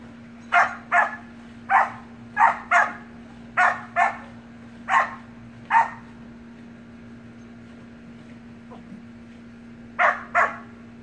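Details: Samoyed puppy and siblings playing in a pool keep up a lively string of about a dozen high, clipped barks, often in quick pairs, pausing for several quiet seconds before a final double; a low hum runs throughout.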